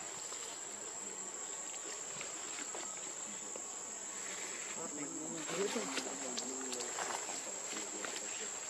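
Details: Hungry infant macaque Leo begging its mother for milk: after quiet opening seconds, a run of short, plaintive, wavering whimpers comes in the second half over a constant high-pitched whine and rural background hiss.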